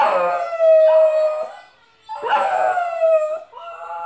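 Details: Pet dog 'singing' with a recording of his own howls to a mouth organ: two loud, sustained howls, each swooping down and then holding a steady wavering tone, separated by a short breath.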